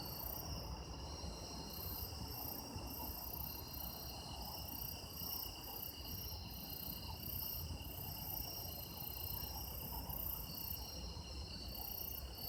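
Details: Autumn insects trilling together, taped for sound effects: unbroken high ringing tones at several pitches, a rhythmically pulsing topmost trill, and faint low background rumble.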